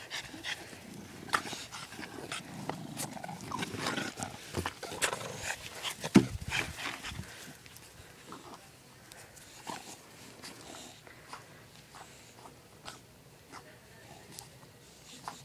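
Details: An English Bulldog and a French Bulldog playing tug of war make low, rasping growls and snuffling snorts, loudest in the first half then fading, with sharp scuffling clicks, thumps and scraping between.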